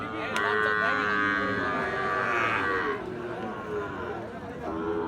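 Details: Cattle at Ambari market, where Gir and Sahiwal breed bull calves are sold; a long drawn-out moo with stacked harmonics runs through most of the clip, over crowd chatter and background music.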